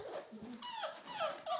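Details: Red rust Doberman Pinscher puppies aged four weeks, playing and following each other around; brief squeaky whimpers, a few thin high tones bending downward, sounding close together in a short burst.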